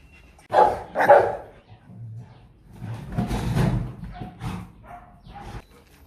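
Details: Litter of purebred Rottweiler puppies just over three weeks old, children of Loki and Siro, eating solid food for the first time; two sharp, bright yips in quick succession, then a rougher noisy burst and scattered shorter squeaks amid household noise.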